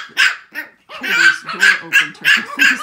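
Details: Rapid yelping barks from 6-week-old Shih Tzu puppies in a barking contest, loud and high-pitched, about five quick yaps packed into the last two seconds after a short pause.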